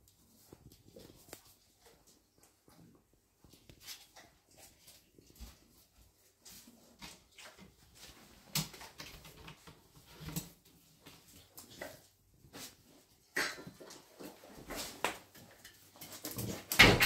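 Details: Golden retriever puppies aged 31 days: quiet shuffling and faint whines build into denser bursts of whimpering and sharp yelping toward the end, loudest in the final second.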